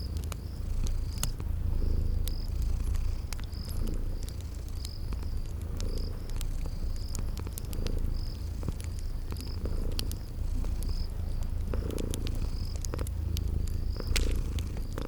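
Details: Purring sleeping kitties by a crackling fireplace in a spring garden ambience, the deep rumble rising and falling in breath-like swells about every two seconds, with crisp fire crackles and regular high cricket chirps.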